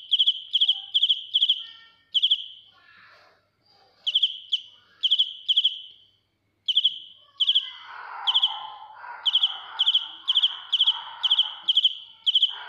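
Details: Loud close-up cricket song of bright, high pulsed chirps in bursts of several, broken by short pauses. Softer, lower rustling and scraping noises fill some gaps and run beneath the later chirps.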